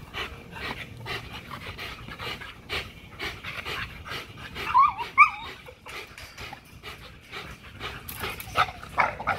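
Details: XL American Bully pitbull at Caona Bullys during a heavy-duty spring pole workout, breathing in rapid, uneven huffs with a couple of brief high whining squeaks midway.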